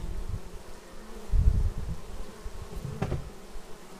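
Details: Bees arriving at their hive, filmed on a Xiaomi Yi action camera: a low, steady wing hum with a louder swell as a bee passes close at mid-clip, then a sharp tap near the end.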